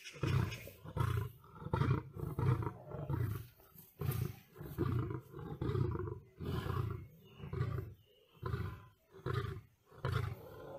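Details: Lion clashing with a tiger, producing a series of deep, pulsing grunts about once a second, each a short rumbling burst with rasping overtones, separated by brief quieter gaps.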